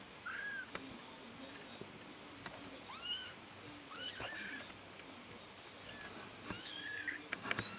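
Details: Young Bengal kittens learning to walk, the smallest a brave female; repeated short, high, arching mews every second or so, faint tapping and rustling between them.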